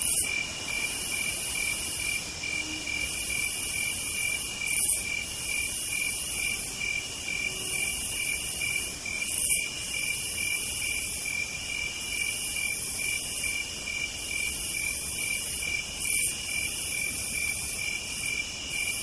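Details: Night insect chorus attributed to cicadas on a southern night: long shrill buzzes of a few seconds each pulse repeatedly above an unbroken high-pitched trill, with faint background hiss.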